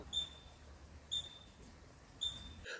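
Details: California ground squirrel alarm call, a very high-pitched squeak that warns other ground squirrels, and sometimes eavesdropping species, of danger such as a snake. Three short, thin, even squeaks come about one second apart against a quiet background.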